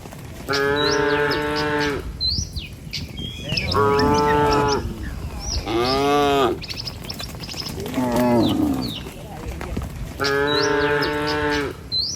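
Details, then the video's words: A herd of tame village cattle crossing a river bridge in the morning on the way to feed; five long, harmonic moos follow one another every two to three seconds, with bird chirps and twitters above. "Suara Moou Sepanjang Jalan Menuju Desa"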